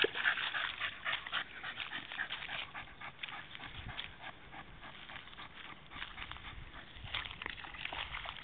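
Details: Rapid, steady panting from Goja, a female Staffordshire Bull Terrier lying in a puddle to cool down on a very hot day, breaths coming close to four per second amid soft water sloshing.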